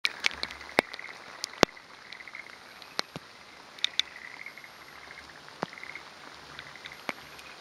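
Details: A male forest green tree frog (Rhacophorus arboreus), perched on a branch waiting for a female, gives soft rattling trills among sharp drip-like clicks on the morning of 28 May 2011 in mountains of Hōfu, Yamaguchi, Japan.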